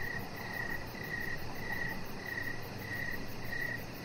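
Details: Outdoor evening crickets near a deck: half a dozen short, shrill pulsed chirps spaced about half a second apart above a faint low hum.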